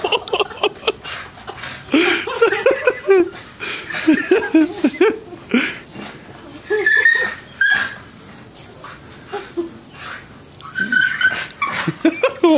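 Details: Rocky, a pet dog, cries while trying to get oranges from a tree, giving a string of high, wavering whines and squeaky yelps indoors, mixed with a person's laughter and encouraging talk.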